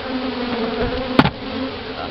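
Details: During an October 2011 bee removal in Houston, Texas, a caged queen is freed into a newly hived colony. The bees keep up a continuous low droning hum, broken once by a single sharp knock or tap.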